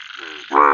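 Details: Bullfrog. A male bullfrog calls with one abrupt, reedy croak that swells loudly and cuts off within a fraction of a second. A softer, thinner note comes just before it over a faint background hiss.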